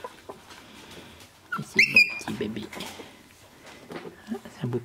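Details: Shiba Inu puppies from the Ichi and Hime litter, born 25 February 2017 and recorded indoors on 13 March 2017 at sixteen days old: a brief high squeal with rising and falling whistled tones, amid a woman's French baby-talk and handling noises.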